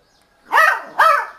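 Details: A 50-day-old beagle puppy barks for the first time, giving two high, squeaky barks in quick succession, each rising then falling.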